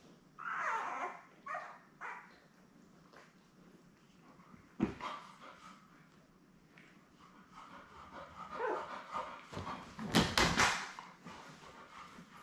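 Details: Labrador Retriever litter of seven newborn puppies, born May 24, 2021, with their mother Belle, on an indoor puppy cam in early June: rising and falling whimpering squeals early on, scattered short yelps, and a loud thumping bump midway.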